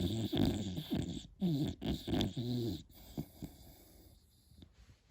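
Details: Sleeping beagle puppy snoring: rough, low rasping breaths in quick bursts, about four snores in the first three seconds, then quieter fainter breathing.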